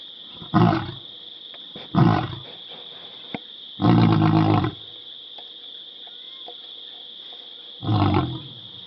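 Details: The pride male lion at Karongwe Game Reserve, South Africa, roars at observers' presence: deep, rasping roars in four heavy bursts, the third longest, separated by quiet gaps over a steady high insect whine.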